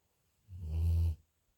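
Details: Sleeping dog snoring alone, recorded May 28th, 2021: a single low rumbling snore lasting about two-thirds of a second, in a quiet room.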